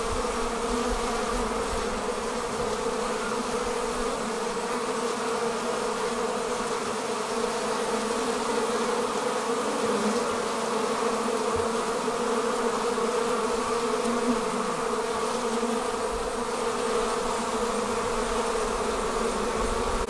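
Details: A honey bee swarm departing from its hive produces a sustained, layered buzzing hum, constant in loudness throughout, with faint wavering tones of individual bees flying past.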